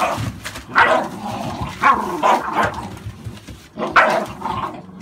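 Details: American Staffordshire Bully barks from a kennel with a litter born 11/16/2017: three sharp, separate woofs spaced about a second or more apart, with softer rough sounds between them.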